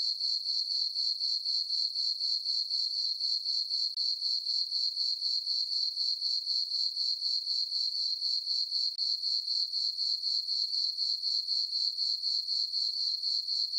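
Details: Night-time crickets in a meadow on a farm under a full moon in summer, giving a continuous high, ringing chirp repeated about four times each second with clockwork regularity against otherwise silent surroundings.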